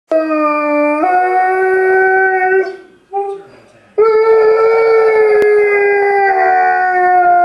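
An Alaskan Malamute howls in long, steady, tonal notes that step up in pitch, with a brief break.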